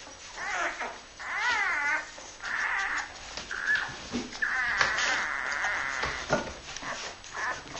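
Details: Labrador Retriever puppies of the Honeydark H litter, born 23.02.2012, indoors: high, wavering whines and drawn-out squeals overlapping, some rising and falling in quick undulations, with a faint background hum.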